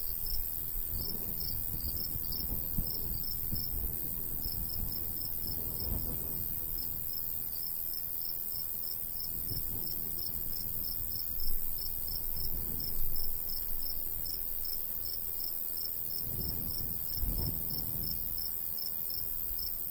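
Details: Crickets chirp on a summer day in the countryside beside a golden wheat field; rapid, high, evenly pulsed chirps run throughout over a steady hiss, with breeze gusts rumbling and a few soft knocks.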